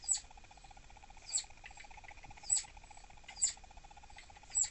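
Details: Captive female southern flying squirrel named Dahan, irritable and possibly pregnant, refusing treats around 6 pm. Five sharp, very high chirps, about one per second, over a steady electrical hum.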